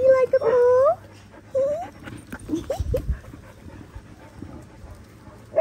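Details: Linc, a baby Australian cattle dog puppy, playing with bigger puppies outdoors in a paddock: loud high whining yelps, some drawn out and bending in pitch, followed by short rising yips and soft scuffling.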